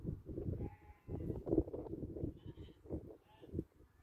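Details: Sheep, a ewe that lambed twice in one year, 2021; rough bleats with pulsed, low voiced bursts repeated through the short stretch, some overlapping sounds in the background.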